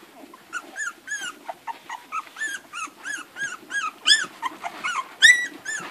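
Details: Eleven hungry Irish Red and White Setter puppies nursing from their mother, giving high, rising-and-falling whimpering squeals, several overlapping, about one per second with many harmonics, over a soft low murmur of suckling.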